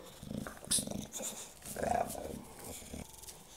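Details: English Bulldog attacking a vacuum cleaner indoors, as it does whenever the cleaner comes out: low rumbling growls in two short bursts, with a person speaking and handling noise around it.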